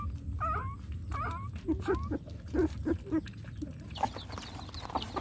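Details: Puppies whining: several short, high, harmonic whimpers that rise then fall, closely spaced in the first half, then shorter yelps. Low rumbling background throughout, with faint high chirping from other animals.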